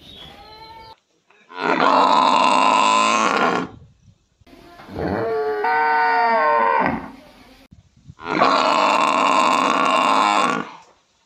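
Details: A water buffalo in a village gives three long, loud, harsh bellowing calls with brief pauses between them.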